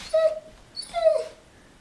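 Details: German Shepherd reacting to a big truck in the street: two short, high, tonal whining yelps, the second longer and bending downward, in a quiet indoor setting.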